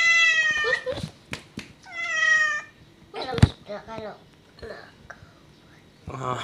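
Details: Pet cat with two loud, bright meows in quick succession, followed by clicks, thumps and quieter mixed sounds in a small indoor space.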